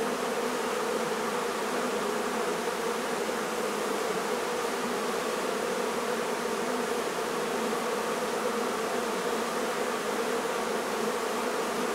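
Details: Many honey bees buzzing as their hive is relocated from a barn in La Feria, Texas; an even, thick drone holds steady throughout with no breaks.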